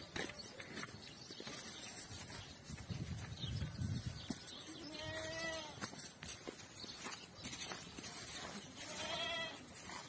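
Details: Goats on a farm in Romania with 165 goats and 200 kids, several wavering bleats rising and falling heard among a noisy herd, with overlapping calls and rustling.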